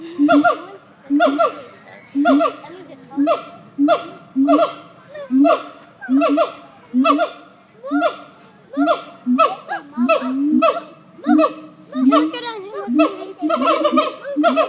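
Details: Monkeys calling in loud rhythmic bursts, roughly once a second, each a nasal, honking cry over a steady droning tone.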